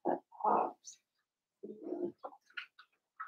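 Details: Daisy's Cavalier King Charles Spaniel puppies, four weeks old, in their indoor pen give two rough, grunting whine bursts a second apart, then a few brief high-pitched squeaks and yips trailing off toward the end.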